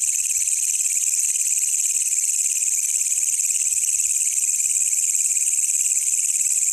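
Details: Wild walang kecek katydid calling at night, kept as a master track for songbirds: a loud, even, very high buzzing drone with no breaks, heard clearly over near silence.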